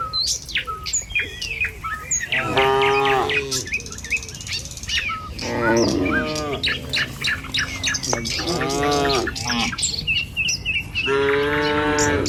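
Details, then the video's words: Herd of tame cattle crossing a village road on the way to the pen in the morning, lowing four times in short, rich moos spaced a few seconds apart, while many small birds chirp and twitter busily throughout. "Suara Sapi Moou Sepanjang Jalan Menuju Kandang"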